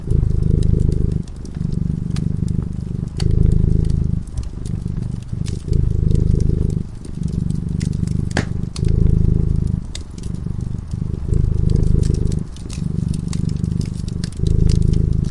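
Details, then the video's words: Fireside cat asleep and purring: rhythmic low rumble in roughly two-second breathing cycles with short pauses between, accompanied by continual crackling and occasional sharp pops of the flames. "Purring cat"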